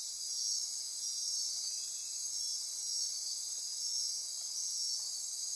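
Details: Dense nocturnal insect chorus in Costa Rican rainforest near Corcovado National Park on the Osa Peninsula at midnight: continuous high shrill trilling and buzzing layers, gently swelling and fading in soft pulses, no other clear sounds.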